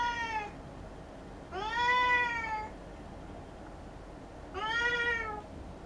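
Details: Domestic cat indoors meowing while playing with a fish-shaped toy filled with silvervine: three drawn-out, harmonic-rich meows, the first brief, the second longest and loudest with a slight falling bend, the third rising then easing off, quiet room hum between.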